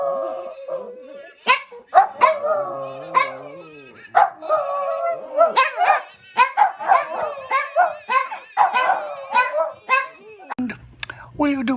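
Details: Puppies howling, a rapid string of short wavering howls and yips, some notes bending up and down, tumbling over one another almost without pause, with a low hum at the very end.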